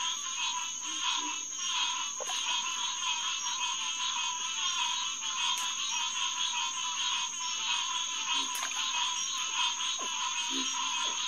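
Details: Many green tree frogs calling together after dark at Headquarters Pond, SMNWR, June 2, 2021: constant bright overlapping notes pulsing roughly ninety-five times a minute, with scattered faint low grunts.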